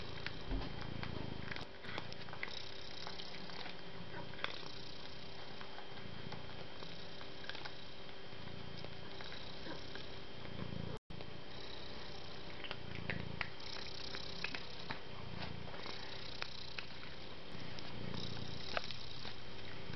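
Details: Domestic cat, described as soft and kind, purring steadily: low rumbling pulses swelling and fading in cycles roughly every two seconds, with soft breathy hiss bursts higher up; a brief silent gap near the middle.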